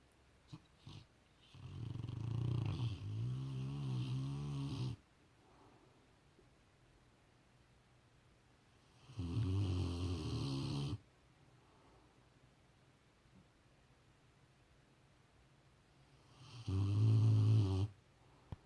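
A Rottweiler snores in deep, rumbling bursts, each breath a low rattling drone.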